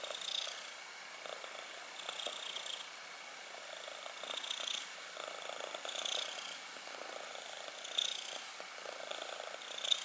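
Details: Black kitten purring, a soft continuous rumbling purr with gentle swells in loudness every couple of seconds, recorded close up with faint hiss in the background.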